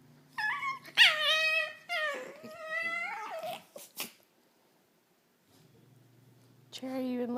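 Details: Domestic dog making cat-like crazy noises while another dog watches, indoors: drawn-out, meow-like whining calls that waver and slide down in pitch, a silent gap, then a lower steady hum and another whine.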